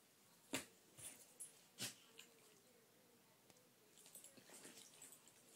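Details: A Golden Retriever playing with his nose gives sharp, breathy snorts, a brief soft whine, then a run of wheezy snuffling.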